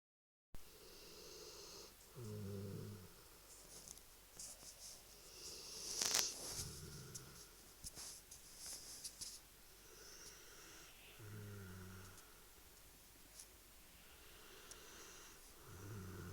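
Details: A dog snoring indoors: low, rumbling snores roughly every four to five seconds, each a short, rough burst in a quiet room, with a brief sharp rustle near the middle.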